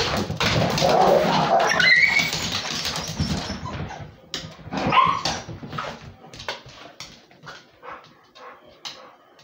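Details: Beagle and Basset Hound mix dog playing with a pitbull. Loud, rough, growly play noises fill the first four seconds, with a short high whine near two seconds. Quieter scuffling clicks and taps follow as the play calms down.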